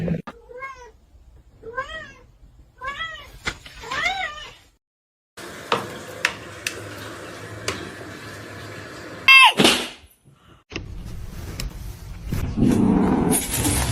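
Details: Domestic cat giving a run of short rising-falling meows, about five in four seconds, followed by knocking and thumping with household noise and a rushing hiss near the end.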